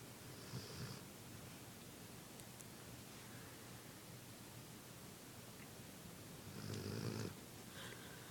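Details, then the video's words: Kip, a sleeping pet dog, snoring softly: two breathy low snore bursts, one near the start and a longer one near the end, set against a steady quiet background hiss. "Cute Dog Snores While Sleeping"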